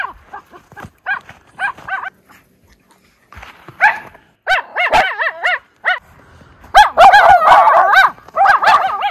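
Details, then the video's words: Miniature Schnauzer brothers playing in deep-snow tunnel trails in Maine on January 22, 2023; a rapid run of short, sharp high yapping barks, sparse at first, then dense overlapping bursts near the end. "Tunnel Trails of Fun - Miniature Schnauzer Brothers"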